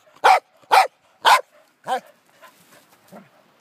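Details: Pembroke Welsh Corgi, Wesley Von Toffee, excitedly chasing and pushing his jolly ball: three rapid loud barks followed by a lower, drawn-out bark and fading soft whines and huffs.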